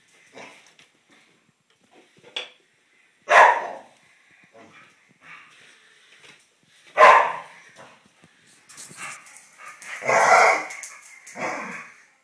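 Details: Squabble between two Irish Terriers recorded in May 2010. Scattered, softer barks and snarls rise into a rougher, noisy burst of growling near the end, with quiet pauses between outbursts.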